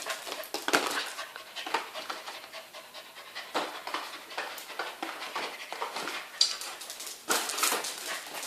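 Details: Kim Bori the Welsh Corgi, called Bonaldo for football play, breathes in fast rasping pants, broken by sudden scrapes and thumps.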